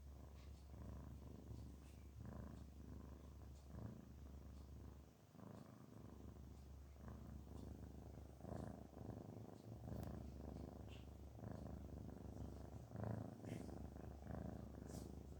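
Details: Purring of Garfield the cat, relaxed and happy: a long, deep, steady rumble over a constant low hum, pulsing in breath-length cycles roughly every one and a half seconds, with occasional small clicks and rustles.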